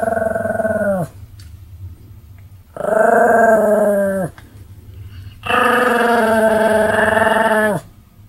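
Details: A pet Pomeranian spins and jumps while sounding off in May 2015. Three sustained, tonal, howl-like calls each hold steady for one to two seconds, slightly falling at the end, with brief pauses between them.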